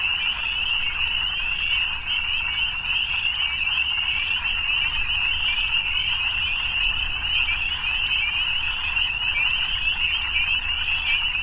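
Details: Massed frogs at evening keep up a steady high-pitched trilling drone without breaks, thick and uniform throughout, over a quiet low-frequency rumble.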